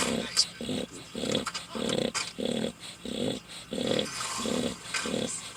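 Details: Sleeping pet dog snoring so loudly: a steady run of low, rough, rattling snores, each about a third of a second long, repeating roughly every 0.6 seconds with only faint background hiss.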